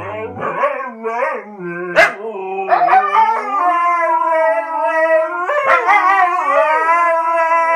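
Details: Two Siberian Huskies indoors, coaxed into singing, howl in long, wavering, tuneful notes that rise and slide between pitches.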